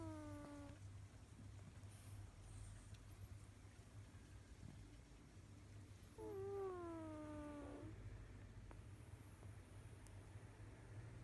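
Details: Snoring from a cat named Kojiro: a fading whistled tone at the start, then one clear, slightly falling, harmonic-rich nasal whine lasting under two seconds. Quiet pauses and a constant low hum fill the rest.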